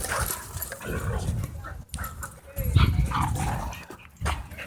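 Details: Dogs playing at a dog park growling, low rumbling growls with bursts of barking and scuffling, voices and laughter of people nearby.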